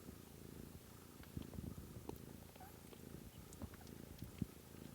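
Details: Kitten purring indoors during a March 13, 2017 stream: a low, steady, pulsing rumble with faint soft clicks and small thumps scattered through.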